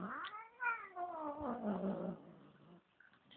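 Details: Indoor Bengal cat, a female in a bad mood after a new cat arrived home, gives a quieter drawn yowl that rises then sinks into a low, throaty moan and fades out.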